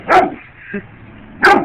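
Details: Dog going after bugs, letting out two loud abrupt barks about one and a quarter seconds apart, with a faint short yip between them and quiet background music.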